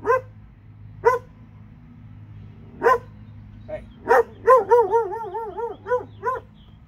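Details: A couple of dogs from Alabama bark, first a few widely spaced sharp barks, then a rapid string of wavering, yelping barks running together, with a constant low hum behind.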